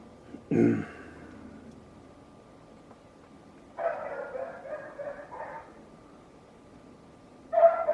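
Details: Neighbour's dog barking: a sharp low thud first, then a long ragged string of barks after a silence, and one more bark near the end.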